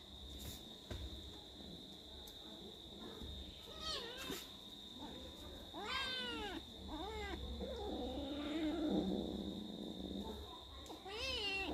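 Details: Angry domestic cats fighting, giving a series of harsh, wavering yowls and meows that rise and fall in pitch, some drawn out into strained caterwauls, over a steady background hum.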